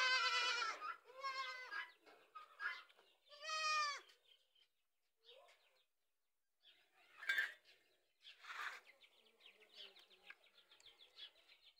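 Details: Goats, mother recognising young by smell: a series of loud, wavering, harmonic bleats in the first four seconds, then softer scattered bleats and brief higher calls with quiet gaps.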